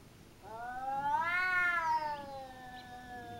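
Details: Cat fight in a home garden in Japan between the household cat and a smaller opponent: a single drawn-out yowl swelling and rising in pitch, then sliding down into a long moaning tail.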